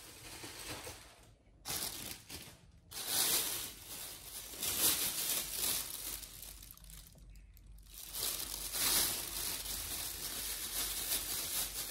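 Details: Close crinkling, tearing and rustling of raw food being prepared indoors comes in bursts with brief pauses, and no animal voice is heard.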